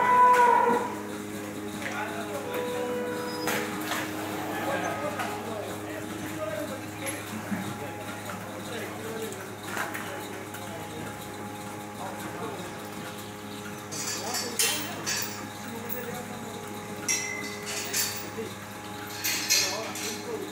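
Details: Dairy cows on a hacienda heading to the milking modules. Low, drawn-out moos sound over a steady mechanical hum, with metallic clanks and knocks, and a man speaking at the end.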